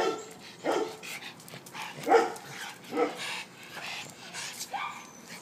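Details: A dog named Vito playing in a garden gives short, sharp barks at irregular intervals, three louder ones close together in the middle, with a few softer yelps around them.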